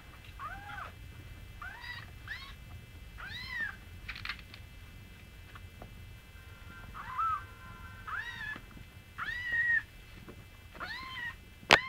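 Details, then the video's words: Singapura kittens with their small mother cat, mewing in short high-pitched arched chirps, rising then falling, often in quick pairs, scattered through the clip with soft indoor background and a sharp click at the end. "Singapura kittens - with mom"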